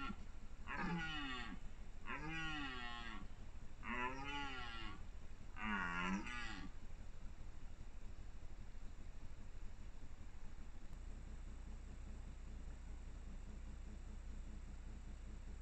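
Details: Red deer stag roaring in the 2021 rut: a series of four deep, wavering groans, each under a second, repeated roughly every two seconds, followed by quiet low background noise.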